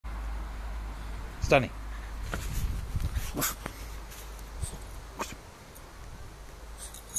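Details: A male French Bulldog puppy protecting his garden gives a few short, sharp barks while a person talks.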